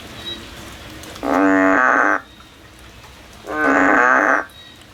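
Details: Two drawn-out, reedy, nasal bleats, each lasting about a second and spaced about two seconds apart, from a frog climbing a tree as it looks for a way out. A quiet background lies between the calls.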